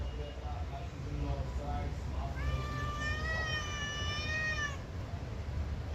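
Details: Domestic cat meowing back during a conversation with its owner: after short murmured sounds, one long, steady, drawn-out meow lasting over two seconds, with a man's voice speaking Telugu around it.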